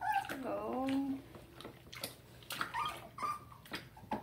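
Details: Dachshund puppy whimpering while getting a bath indoors in Tampa, Florida, July 2020: high, wavering whines that bend down and up, followed by short yelps, with a woman's soothing speech and splashing.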